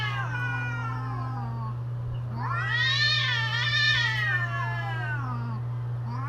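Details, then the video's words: Cats yowling in mating season: a sliding howl opens, then a loud warbling wail with rapid vibrato peaks mid-clip before trailing into short rising moans, all over a continuous low hum. "creepy Cats Talking"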